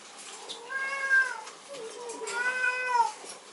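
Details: Female Maltese puppy born 29 November, indoors: two drawn-out, tonal whining cries, each rising slightly then sliding down, the second longer and louder, separated by a short pause with faint room noise.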